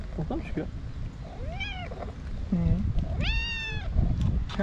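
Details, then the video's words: Hungry white tabby stray cat, female, meowing loudly beside people she has missed: two long, arched, tonal meows rising then falling, the second longer and stronger, with soft Turkish speech and rustling underneath. "White Tabby Cat Meowing Loudly For A Long Time"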